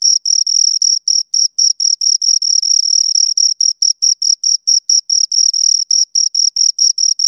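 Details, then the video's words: Pair of crickets producing shrill, rhythmic chirps by rubbing wings or legs together; pulses come about twice a second with occasional overlapping runs that blur into a longer trill, no other sound. "Two Crickets Chirp Sounds"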